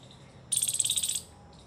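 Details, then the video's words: A squirrel guarding its nest of dry grass gives a sharp, high burst of rapid alert chips, about a dozen in under a second, signalling other squirrels after hearing their alerts, over a faint steady hiss. "Squirrel alert sounds"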